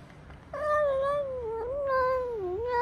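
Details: Sick, hungry stray cat wanting affection gives a long, drawn-out tonal meow that wavers and dips in pitch, followed by a second rising meow, loud and clear over faint background noise.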